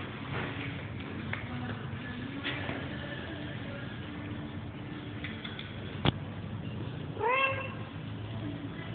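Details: Domestic cat producing a single short upward-bending meow near the end, after a stretch of low room hum and a sharp click.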